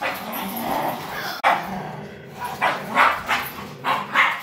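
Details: Domestic dogs, a 9-month-old German Shepherd and a 5-year-old Min Pin, playing tug of war; a sharp knock, then a run of short rough barks and yips clustered in the second half, with low growly background noise.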